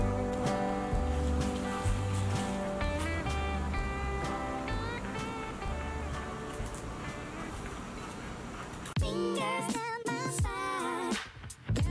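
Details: Background music with harmonic instrumental tones plays throughout, with no animal sound.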